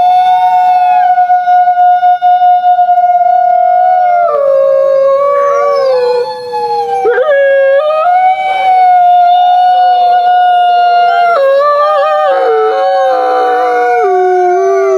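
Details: Several gray wolves (Canis lupus) howl together in long, wavering tones that slide up and down and overlap, more a soft, subdued whining howl than full howling.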